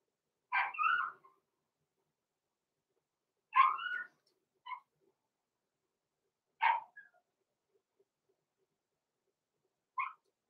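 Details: A small blenheim litter of Cavalier King Charles Spaniel puppies, six weeks old, born November 14, 2022, in an indoor pen. High puppy barks come in short bursts about every three seconds, some doubled, with silence between.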